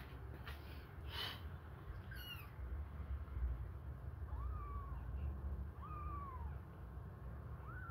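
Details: Hungry kittens suckling a finger give thin, high mews: short arched calls that rise and then fall, about three spread over eight seconds, plus one brief harmonic squeak early on, over a steady low rumbling background.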